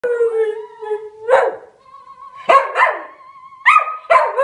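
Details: Scottish Terrier singing along to opera: long steady tones and wavering notes broken by loud, rough yowling bursts, about four outbursts in under five seconds.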